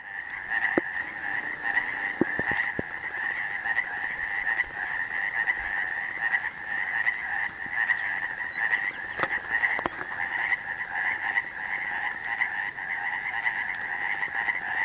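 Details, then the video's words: A dense chorus of frogs at Cavitt Lake croaks steadily, merging into a continuous pulsing drone. "Cavitt Lake - frogs croaking"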